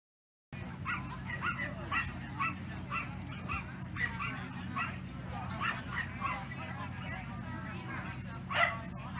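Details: Sealyham terriers at the Skaha Dog Show, held August 29 to 31, 2023: quick runs of sharp, ringing barks repeated several times a second over a steady low indoor hum, ending with one louder yelp.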